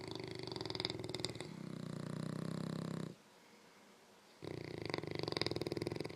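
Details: An English Mastiff and a French Bulldog snore back and forth in a snoring contest while asleep, in rough, rattling bursts with a brief quiet pause between rounds.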